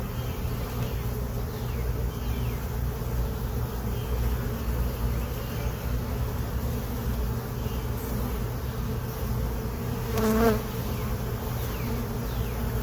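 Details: Honey bees that moved into a hive box on April 29, 2022, heard during a hive inspection of new comb with larvae and eggs; a steady low droning hum throughout, with one brief louder burst near the end.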